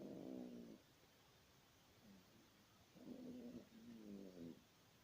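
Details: Yorkshire Terrier snoring: quiet rattling snores with a low buzzy fluttering tone, coming in bursts of about a second separated by short quiet gaps.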